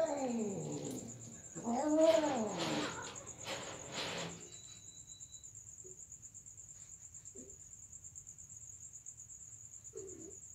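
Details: Domestic cats during mating wail in drawn-out, wavering yowls that fall and then rise over the first four seconds. Then comes near quiet with a few faint short sounds, under a steady high insect-like whine throughout.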